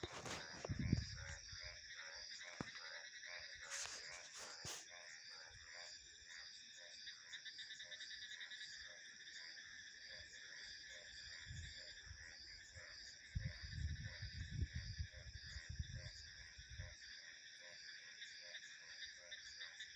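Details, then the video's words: Dense frog chorus of quick pulsed croaks beneath constant cricket and insect trills, with occasional low wind gusts and a few sharp knocks early on. "Frog Sounds 🐸 Insects, Crickets and Wind Ambience"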